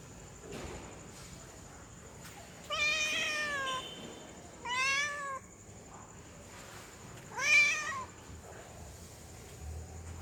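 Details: Female cat in heat calls to a male with three loud, wavering meows spaced about two seconds apart, the last one strongest, set against a low background hiss.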